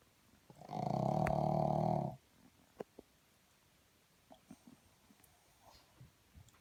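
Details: A pug asleep lets out one drawn-out, harsh, buzzing snore of over a second. A few faint clicks and soft rustles follow in a hushed indoor space.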